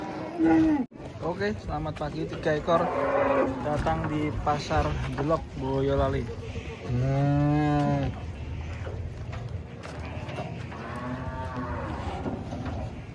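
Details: Cattle unloading from a truck: a run of moos ends in a deep, sustained one-second bellow, with voices talking over the calls throughout.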